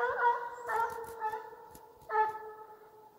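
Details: Russian hound named Bas baying on the chase in Ivanovo Oblast: loud, ringing, drawn-out tonal cries, a new bay starting roughly every second or so, with faint clicks in the background.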